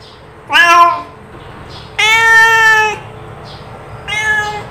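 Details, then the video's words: Domestic cat meowing: three harmonic meows, a short rising-falling one, a longer drawn-out steady cry near two seconds, then a third shorter meow, over a quiet low background hum. "Suara Pangilan Kucing"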